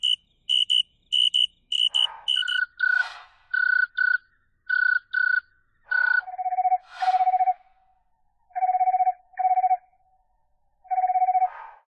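Western field cricket song: short pulsed trills, repeated at successively slower speeds and lower, deeper pitches.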